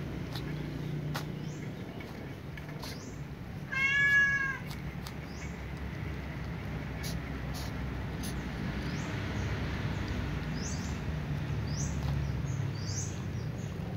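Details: Domestic cats, a ginger one and a white one, eating fried tofu; one short, clear harmonic meow near the fourth second over a steady low hum, with faint high bird chirps scattered in the background.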